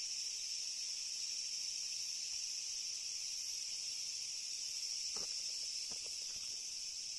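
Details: Korean katydid (Mecopoda niponensis), song.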